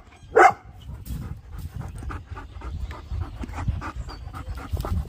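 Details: Bernese Mountain Dog breathing in quick, airy pants, rhythmic and low, after a brief loud bark-like burst near the start; faint background rustle throughout.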